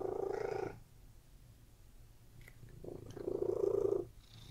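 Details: Short burst of rumbling purr from cats lounging on a bed, a loud swell at the start, a quiet breath pause, then a second strong rumbling swell.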